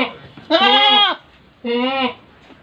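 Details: Large-breed pet goat bleating: two loud, harmonic, slightly wavering bleats, the first about half a second long and the second shorter, separated by a brief quiet gap.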